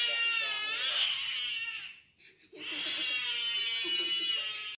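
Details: Kitten crying after being given an injection, indoors: two long, loud, strained wails rich in harmonics, the first about two seconds, then a short gap before a second sustained wail of similar length.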